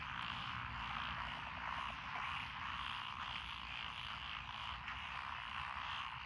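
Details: Lotus rice paddies by a country lane in Echizen, Fukui Prefecture, Japan, 12 June 2021, full of several frog species: an unbroken, buzzing wall of croaking that rises and falls slightly, above a low background hum.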